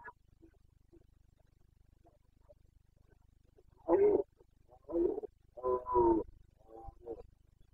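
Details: Carpathian red deer stag roaring in the Bucovina mountains, Romania, breeding season, 29 September 2022: a series of rough, guttural bellows, one strong then several broken, grunting roars in quick succession, over a faint low hum.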